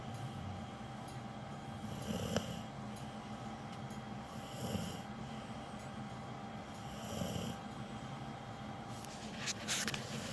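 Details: Capone, a dog with cropped ears, sleeping and snoring loudly indoors; soft breathy snores swell at about two to three second intervals over a steady low hum, with a brief clatter near the end.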